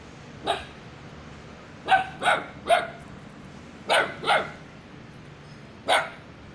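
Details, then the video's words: Little white puppy yapping, January 2021: seven high, clipped barks, mostly in close pairs or triplets separated by pauses of one to two seconds, over faint steady background hum. "white little puppy..... barking"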